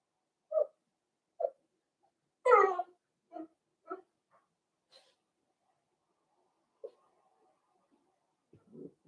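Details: Blenheim Cavalier King Charles Spaniel puppies from a litter of five born at New Year, on pick-up day: short, high yips and whimpers spaced about a second apart, one longer squealing yelp, then faint low grumbles.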